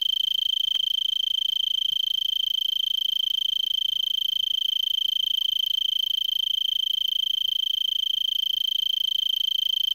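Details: Arizona tree cricket singing from a brittlebush in Vail, Arizona, at 3300 ft elevation, December 26 around 5 PM and about 70 °F, before sunset: a steady, high, pure-toned trill of rapid even pulses running unbroken throughout.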